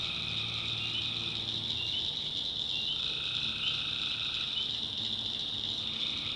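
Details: North Carolina backwoods at night, tree frogs massed in a swamp: continuous high, pulsing chorus, with a faint lower hum and mid-pitched notes that switch on and off every few seconds.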